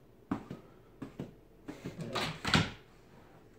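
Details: Indoor thumps and knocks in a small room, with a few short bumps and a louder rustling scrape near the end, and no animal voice.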